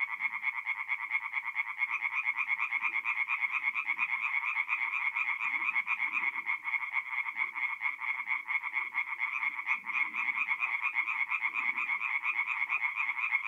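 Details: Night chorus of tree frogs at a forest pond, north-east Italy, mid-April. Fast, rattling pulses overlap into a continuous shrill buzz that hardly pauses, with soft low rumbles underneath.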